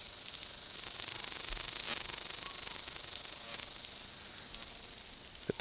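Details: Many New Zealand chorus cicadas (Amphipsalta zelandica), endemic to New Zealand, sing in the bush at peak February density. The overlapping singers make a steady, high, hissing buzz, a repetitive song ending in wing claps; males were seen calling.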